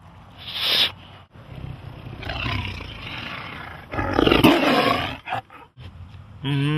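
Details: Tiger roaring: harsh, broad growling bursts, the loudest around the middle, with rumbling low tones between them and a brief rough call near the start.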